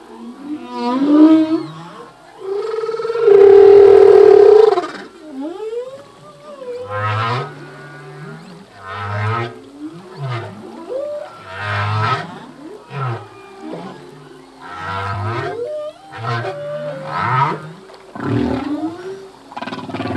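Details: Full-length song of a male humpback whale: a loud sustained tonal wail, then a steady sequence of short low upswept grunts and bursts repeating roughly every second, with bright rasping overtones.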